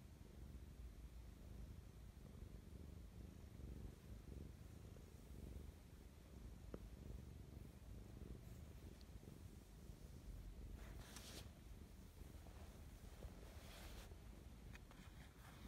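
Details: Mischa, a pet cat, purring affectionately in the morning: a close, continuous low rumble with steady rhythmic pulses, a few soft clicks and brief higher rustles near the end.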